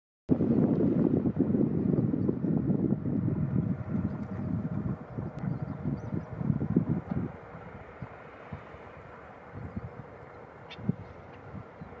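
Heavy wind rumble and low buffeting noise, easing after about seven seconds, with no animal calls audible.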